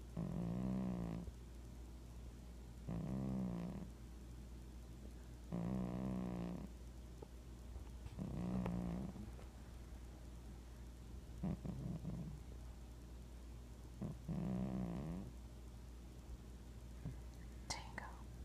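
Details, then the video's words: Domestic cat snoring, with about six low rumbling snores spaced roughly three seconds apart. Each breath is a buzzy, throaty drone that fades out before the next, over a steady low background hum. "Cat Snoring"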